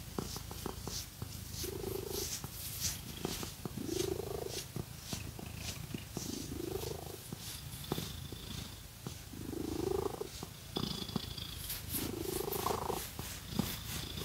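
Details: Pet cat purring while being scratched with fake nails, a low continuous rumbling hum under repeated scratchy strokes and brief soft squeaky notes every two seconds or so.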